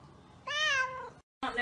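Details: Domestic cat meowing once, a loud sliding cry lasting about half a second, followed by a brief silence and then a burst of human speech indoors.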